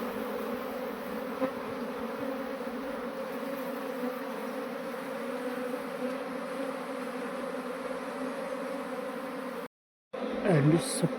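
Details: Swarming honey bees being moved into a modern hive: a dense, steady drone with strong low hum bands that holds evenly, then cuts out briefly near the end before a short burst of handling noise.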